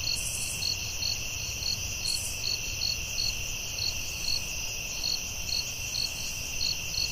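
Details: Night chorus of crickets in the forest, a continuous high-pitched trill overlaid with rhythmic chirps roughly twice a second and a couple of brief higher buzzy bursts early on.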